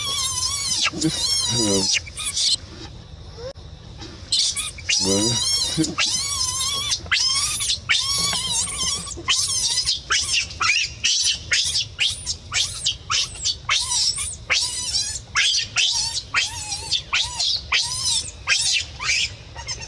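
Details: Baby monkey crying and screaming: loud, shrill, harmonic shrieks in rapid bursts, many wavering and sliding, repeated almost without pause for twenty seconds, with a brief quieter gap near the start.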